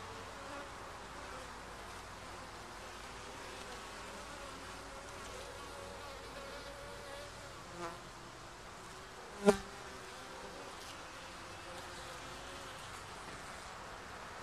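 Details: Honey bees around a hive being checked for the first time, a soft steady hum of many bees throughout, broken by a sharp knock midway and a fainter one shortly before.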